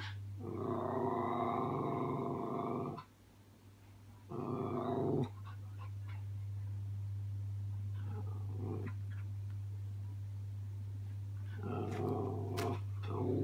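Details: A Miniature Schnauzer puppy practises growling at its own reflection in a mirror: long rumbling harmonic growls, a pause, a shorter growl, then quieter grunts and a final growl, over a steady low electrical hum indoors.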